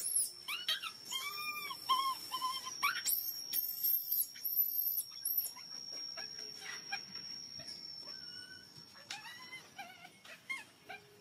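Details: Baby monkey crying for milk out of hunger, very loud: shrill screams and quavering, harmonically rich wails tumble one after another, fading into softer sobbing cries near the end, a faint constant high tone behind.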